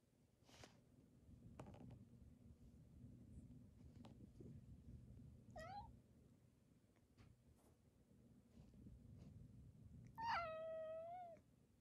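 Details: A pampered domestic cat, the household's second-born male, vying for attention while an older cat with cat-flu symptoms is kept apart; a short rising mew midway, then a loud drawn-out meow sliding down near the end, over soft room hum.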